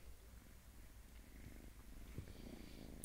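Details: Domestic cat purring close up: a soft, continuous low rumble made of rapid regular pulses, a few light clicks near the end, no other sounds.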